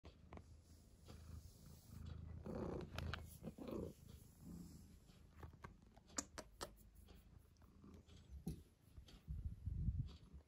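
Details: Domestic cat purring, a steady low rumble running through the clip, broken by scattered soft clicks and brief rustling thumps.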